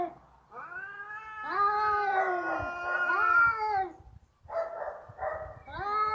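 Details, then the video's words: Fighting domestic cats let out a sustained, quavering yowl that climbs and sinks, followed after a short pause by rougher, buzzier wailing and another rising howl. "Suara kucing ribut berantem"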